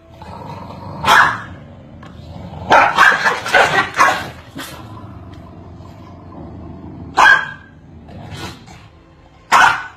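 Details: Corgis barking at each other continuously: sharp single barks, then a quick burst of four or five barks around the third second, followed by scattered further barks over a low steady hum.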